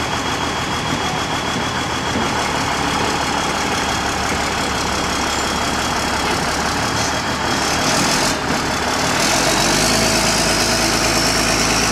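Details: Loud idling vehicle engine hums throughout, and no animal sound comes through.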